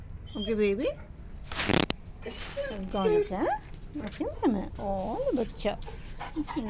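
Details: A 9-month-old female St. Bernard puppy gives angry, yowling barks that rise and fall in pitch as she drives a visiting cat from the boundary, while a person talks and calms her.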